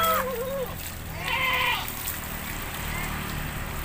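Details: Goat being bathed in an Indonesian village lets out one brief, wavering bleat after a moment of human talk, with soft splashing and ambient noise around it.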